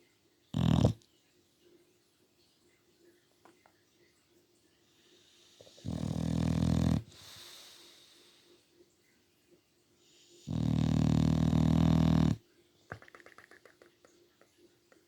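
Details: Sleeping English Bulldog snoring in a room: three loud, harsh, low rumbling snores, short then longer, spaced several seconds apart with quiet breathing and faint rustles between.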